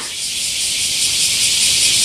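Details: Bear cicadas in a loud summer chorus around Nagasaki's largest camphor tree at Daitokuji Park, Japan, recorded in the morning; a dense, steady hiss fills the upper range without a break, gradually swelling in loudness.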